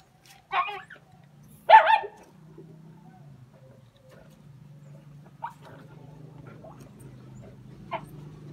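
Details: Jack Russell Terriers on a hunt let out two loud barks early on, followed by a low steady hum in the background and a couple of faint yelps later.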